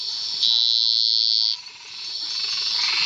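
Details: Treefrog Scinax villasboasi calling from cerrado marshland near Serra do Cachimbo, Mato Grosso, Brazil: a single loud, piercing, steady buzz of about a second, followed by a fainter buzzing chorus building up.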